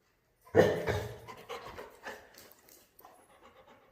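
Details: Playing Labrador Retriever called Mr. Honey lets out a sudden loud breathy huff, followed by a run of softer, fading pants and snuffles indoors.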